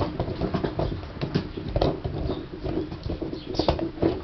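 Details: A Basset Hound works on a piece of gum, giving moist, squelching chews and sticky clicks at an uneven pace, with a steady low background hum.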